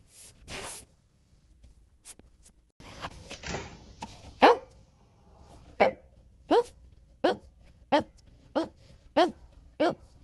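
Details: Golden Retriever, a chubby pet dog, barking indoors: a run of short, sharp barks repeated about every 0.7 seconds through the second half, after quieter scattered sounds and faint talking at the start.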